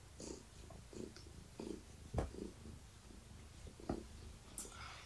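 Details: Low, pulsing purr from Gaia, a long-haired tabby pregnant with kittens, as she is stroked in the evening; the rumble throbs several times a second, broken by a couple of sharp clicks and light rubbing sounds.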